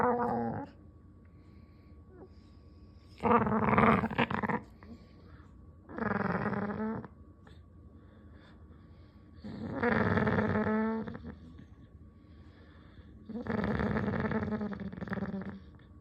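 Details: Dog producing cat-like sounds in a small room: five long, harmonic, wavering moans of about a second each, spaced roughly every three seconds, with quiet gaps and a low steady hum between them.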